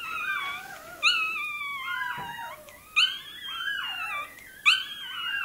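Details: Toy terrier puppy having its tail docked, giving long, drawn-out wailing cries that start sharply and slide downward, three fresh outbursts about every two seconds, crying almost without pause.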